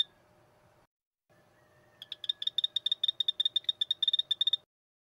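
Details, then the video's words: Poison dart frog calling: a rapid series of high, short, buzzy chirps repeated about four per second for under three seconds, following a brief faint tone, over a low background hum. "5 popular poison dart frogs - call and sound."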